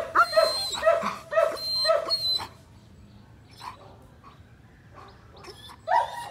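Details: An 18-month-old German Shepherd dog gives four loud, sharp barks about half a second apart, then falls mostly quiet.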